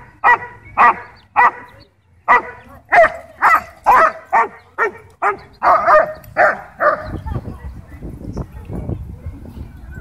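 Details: Ball-possessive German Shepherd barking at a dog park, demanding a toy and provoked playfully by another dog: a rapid run of around fourteen loud barks at roughly two per second, fading into low rumbling background noise.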